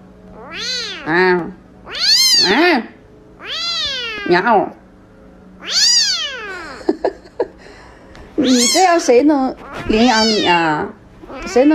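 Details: Domestic cat giving a string of about eight loud meows, each sharply rising then sliding down, spaced roughly a second apart, with brief Mandarin speech and clicks between them in a small room.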